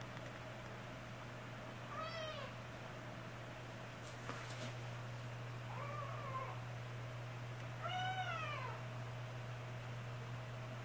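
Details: Kitten siblings stuck on a cat tower, scared to climb down, utter three short arched meows spaced about three seconds apart, indoors with a constant low electrical hum.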